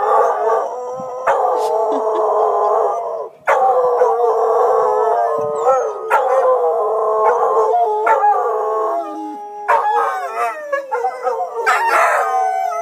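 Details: Dogs named Tobin, Horace and Patton joining in as emergency sirens are tested, several voices howling at once in long, wavering, layered tones that rise and fall over a continuous siren wail.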